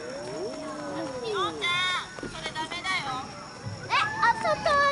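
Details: Siamang at Chiba Zoological Park gives loud, sweeping calls that swoop up and down in overlapping bursts.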